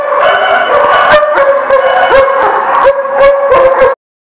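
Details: Dogs at The Barking Lot, recorded 20 August 2018, in a loud overlapping chorus: a steady, whining howl-like tone runs throughout beneath sharp, rapid barks and yips that repeat about every quarter second, then stop abruptly.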